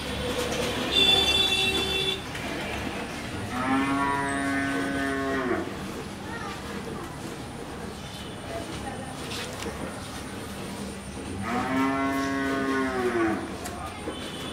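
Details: Friesian cow, four-toothed and fresh from her first calving with a heifer calf, on a dairy farm in Pabna, Bangladesh. Two long, rich-toned moos, each about two seconds and roughly eight seconds apart, sound over a constant background hum and hiss.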